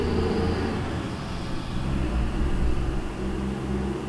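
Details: Honey bees buzzing around the White hive, a colony split from the Yellow hive: overlapping low droning tones that waver and shift in pitch as bees fly past, with a steady low rumble underneath.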